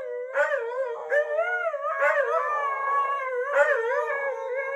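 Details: Three huskies left alone indoors howl in unison while awaiting their owners; tonal, quavering voices overlap continuously, with a sharp yelp-like onset roughly every second.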